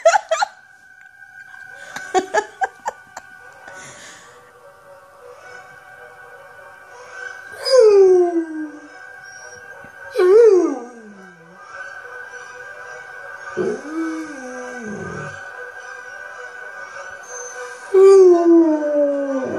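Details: A pet dog howls along to his favourite song playing indoors; several sliding, falling howls rise over steady sustained music notes, with brief sharp knocks near the start.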